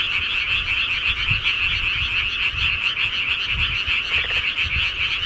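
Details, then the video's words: Frogs at night in the countryside keep up a thick, unbroken chorus of rapid croaking pulses, with only faint low rumbles beneath the steady wall of calls. "시골개구리 소리"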